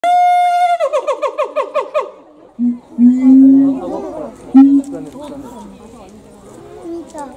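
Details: A siamang at Higashiyama Zoo, its throat sac swelling like a balloon, gives a loud, ringing scream that breaks into a fast run of pulsed hoots.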